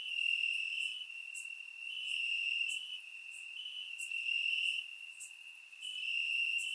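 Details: Summer-night crickets chirping in Bulgarian grassland, captured with a surround microphone: a shrill sustained trill punctuated by crisp high chirps about every second, volume ebbing and returning; nothing else audible.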